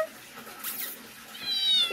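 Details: A cat's high, drawn-out meow rises in the last half second, with a bright harmonic whine. A soft swishing sound comes earlier, over low background noise.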